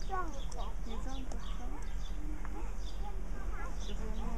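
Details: Meerkats (Suricata suricatta) chatter in overlapping short chirps and squeaky peeps, rising and falling in quick succession.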